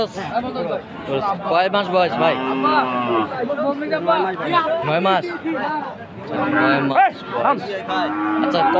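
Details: At Aftabganj cattle market in Dinajpur on 18 March, Friesian and crossbred bull calves low in short, wavering calls through the middle seconds, overlapping with steady talk from people nearby.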